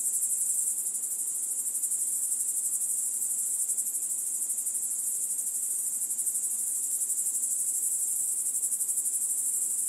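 A grasshopper's high, steady, hissing buzz runs without a break through the whole recording.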